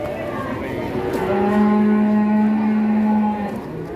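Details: Long, steady, deep moo held for about two seconds from a cow that has gone on a rampage and frightened villagers, with a short second lowing at the end and people speaking.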